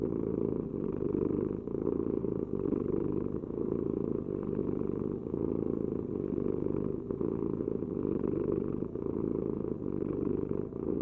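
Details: Purring cat giving a deep, even, throbbing rumble broken by brief dips at each breath, about every second and a half, steady throughout with nothing else audible.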